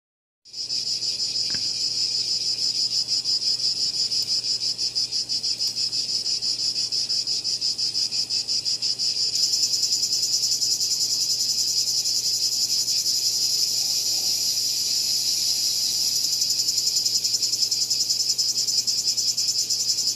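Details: Cicadas calling with a loud, continuous, shrill buzz and a fast pulsing texture; a second, higher buzzing layer joins about halfway through, with a faint low hum underneath.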